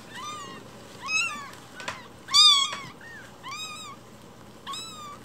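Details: Tiny foster kitten about a week old calls with five piercing, arched mews, one louder and strained in the middle, separated by brief rustling pauses.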